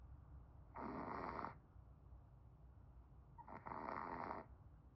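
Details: Pomeranian dog snoring: two long, rasping, breathy snores, each lasting most of a second and spaced about two and a half seconds apart, with quiet breathing between them and no other sounds.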